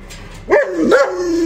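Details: Alaskan Malamute waiting for a chicken drumstick, giving two quick rising yelps that settle into a sustained whining tone, with a person speaking nearby.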